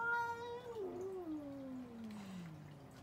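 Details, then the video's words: Cats arguing with each other: a single long harmonic yowl that starts steady and high, then slides steadily downward over about three seconds into a low drawn-out moan. "Cats Arguing | Cats Talking Each Other"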